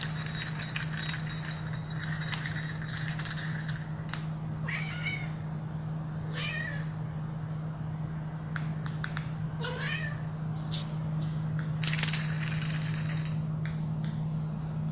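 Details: Domestic cat making short noises during play, brief rising chirps and trills scattered through the clip with clicks and rustling over a steady low hum.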